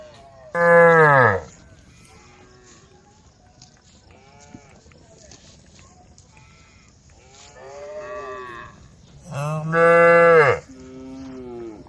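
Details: Tame cows gathered on a road call the herd with two loud, deep harmonic moos about nine seconds apart and softer moos from other cows in between.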